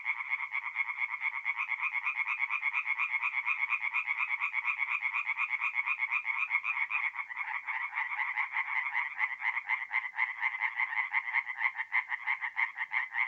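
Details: Singing tree frogs calling together after dark at a forest pond in north-east Italy, April: unbroken rattling chorus of quick, evenly spaced croaks, some voices louder near the end.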